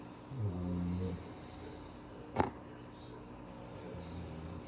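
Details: A 10-year-old male black-capped capuchin, a pet living on a farm, gives one low, rumbling snore lasting about a second, with a sharp click midway and a faint second rumble near the end.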